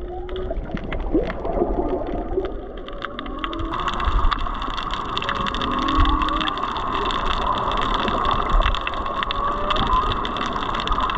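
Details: Underwater off Maui: whale song of low, drawn-out moans bending up and down, with turtles nearby, over steady crackling shrimp popping and hum.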